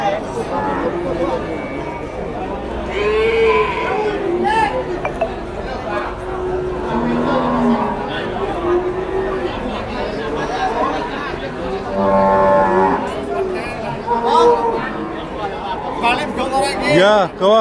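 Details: Cattle, a cow with her calf at the Blora animal market, giving several drawn-out, low moos with harmonics, some rising and falling, heard amid steady crowd chatter and speech from traders around them.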